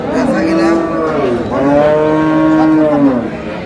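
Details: A cow among cows with calves at Ambari market, Dinajpur, Bangladesh, on April 24, 2026. Two long, clear, steady moos, each about a second and a half, stand out above faint background voices.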